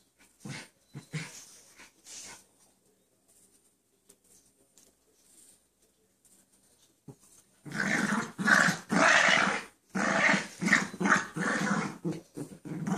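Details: Pet dogs Chance and Sally at play inside; faint scattered snuffles and short sounds first, then after a long near-silent stretch a loud spell of rough, rasping growls in quick bursts.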